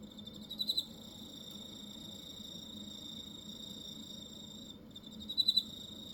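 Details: Cricket in Hokkaido, Japan, giving a steady, high, ringing trill throughout, broken twice by louder bursts of three or four quick pulses, near the start and near the end, over a faint low background hum.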